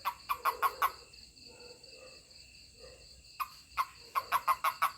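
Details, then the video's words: A toad, calling when touched, gives quick bursts of short, clicking chirps, about five in a row, with pauses between bursts. "Funny Toad 🐸 Sound when I Touch it/面白いヒキガエルの鳴き声 🐸🤣"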